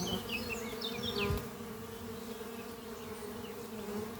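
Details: Spring-morning buzz of honey bees flying at a horizontal oak-chest hive under trees; an even, low-pitched droning hum, with quick bird chirps early on and a soft knock near the middle.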